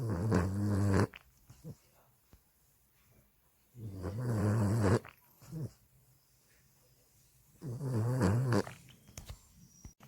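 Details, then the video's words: Deep, rumbling snores from a Boston Terrier sleeping in its owner's arms, three long droning breaths spaced about every four seconds, each rough and buzzy with quieter pauses between them in a small indoor room. "[Boston Terrier] I'm not sleeping. I just closed my eyes. I'm not snoring at all."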